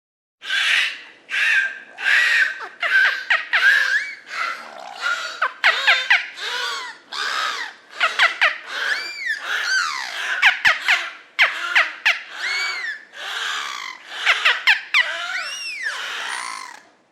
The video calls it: Beluga whale sounds